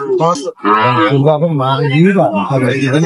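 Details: Sahiwal cattle being bought and sold at the opening of Ambari market, Dinajpur, on 9 June 2025: a steady, low, sustained moo lasting over a second, surrounded by men talking prices in a busy market.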